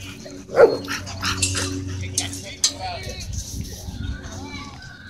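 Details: Dogs at a dog park, a Husky and a German Shepherd chasing a German Shorthaired Pointer and colliding; one sharp, loud bark rings out near the start, followed by people talking and general outdoor chatter.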